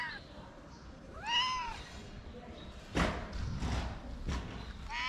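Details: Tuxedo cat, a homeless stray being fed in Morocco, shy when eating; two arched harmonic meows about three seconds apart, with thumps and handling noise between them.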